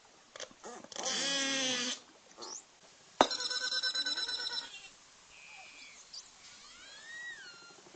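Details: Cook Inlet, Alaska beluga whales underwater give a mix of nasal harmonic calls, wailing and honking, a rapid buzzing pulse train, and thin sliding whistles.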